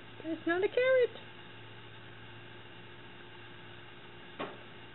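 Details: Cat Moxie, in a pink sweater and trying to steal rabbit Nub's carrot, gives a quick burst of two or three short wavering meows at the start, then a quiet room with a single brief knock and a woman's voice.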